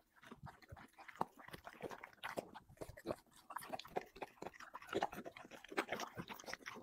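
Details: Chicken and vegetables being eaten by a dog across five plates: continuous crunching and smacking chews, fairly even in loudness, with a few sharper bites standing out.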